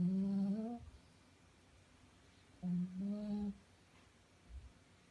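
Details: A sleeping five-month-old Shih Tzu, female, snores with steady, tonal, hum-like breaths that lift a little in pitch near their close, two long snores a few seconds apart, then a soft low puff; room otherwise quiet.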